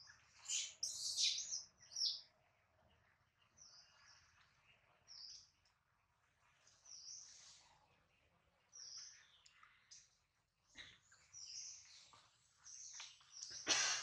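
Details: Adler, a baby monkey crying for his absent mother and from hunger while in a small monkey's hands, utters repeated sharp, high squeals in uneven bursts, loudest at the start and end.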